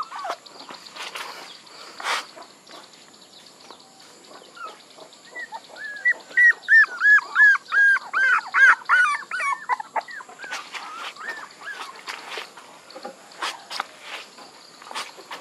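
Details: Puppies calling, with a burst of high arched whines repeated rapidly between about six and ten seconds, framed by quieter scattered squeaks and clicks.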